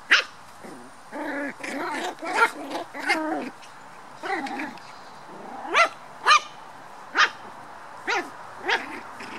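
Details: Playing black toy poodle puppies, a series of short high barks and yips, clustered early, then single sharp yaps spaced about half a second to a second apart.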